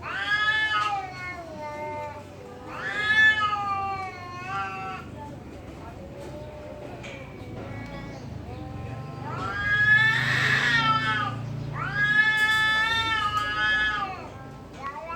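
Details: Fighting cats at a temple trading long, wavering yowls that sound human-like, each howl swelling and sliding up then down, with a loud harsh cry midway and low background rumble.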